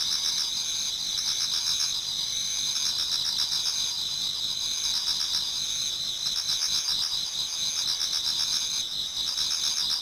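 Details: Many autumn insects singing in a Japanese garden towards dawn: steady high shrill trilling bands layered together, with pulsed chirping repeated several times a second beneath, continuous and even throughout.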